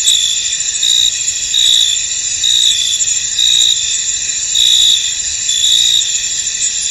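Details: Many crickets calling together in a fog-covered field, a constant shrill buzz overlaid by pulsing trilled chirps that repeat roughly every second.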